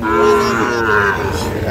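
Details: Sahiwal bull calf, a breed fattened for sale, at Ambari cattle market in Parbatipur, Dinajpur, Bangladesh, on 11 July 2025. It gives a deep, steady, strongly harmonic moo that dips in pitch partway through, over a low market murmur.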